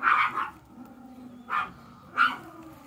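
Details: Female Chihuahua-poodle cross puppy giving three short, high yapping barks, one at the start and two more spaced about a second apart, over a steady low indoor hum.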